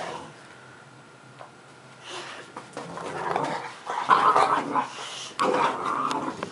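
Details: Puppy playing under a pool table indoors: quiet room at first, then a run of short whiny yelps and soft barks from about two seconds on, growing louder and denser toward the end.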